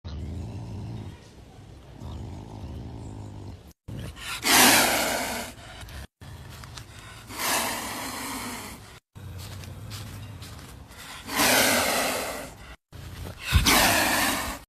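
A caracal gives harsh, hissing, roar-like bursts, each lasting about a second, with short quiet gaps between.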